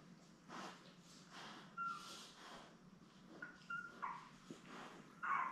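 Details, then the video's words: Newborn Labrador Retriever puppies, seven born May 24, 2021, lying with their mother Belle on an indoor puppy cam; thin, high whimpering squeaks and short tonal peeps come in scattered bursts over soft rustling movement. "Lab Puppies LIVE STREAM Puppy Cam"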